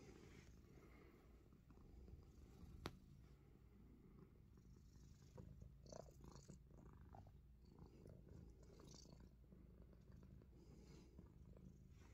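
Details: Himalayan Persian cat purring steadily while biting fingers indoors; a low continuous rumble runs throughout, overlaid by soft clicks, rustles and handling noises, with one sharp tap near the third second.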